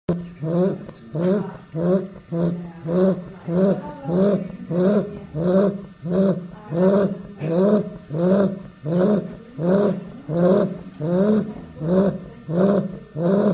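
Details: Female Chow Chow puppy, eight weeks old, snoring while asleep: deep, rough rasping breaths in a steady rhythm of roughly one and a half snores per second, each swelling and fading, continuing evenly throughout.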